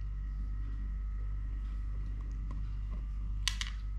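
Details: Indoor purring from Totoshka, a three-legged pet cat: a soft continuous low rumble, with faint taps and a brief sharp clicking burst near the end.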